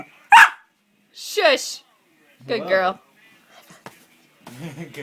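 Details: Elle, a Norfolk terrier, makes weird noises. A sharp single yip comes first, then a wavering, falling whine and a short, throaty yodel-like sound. A soft voice speaks near the end.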